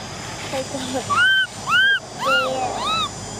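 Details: Orphaned baby macaque Cola, a female, cries to be allowed on a bike: a string of five arched, whining wails in quick succession, some overlapping faint lower voices, with a steady background hum.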